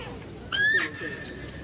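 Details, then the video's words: One sharp, high, upward-sweeping squeal from a female deer at a zoo, with rich harmonics and lasting about a third of a second, over a low hum of outdoor background noise, recorded while a male deer is being fed. "mendengarkan suara rusa betina"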